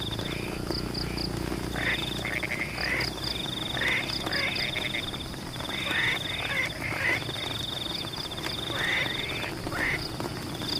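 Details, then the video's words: Many frogs croak in rice fields in the rain, making a busy sequence of short, grating, rising calls, often in pairs or quick runs, with rain hiss and a persistent high-pitched insect whine throughout. "The sound of rain water in Pematang rice fields is in tune with the sound of frogs"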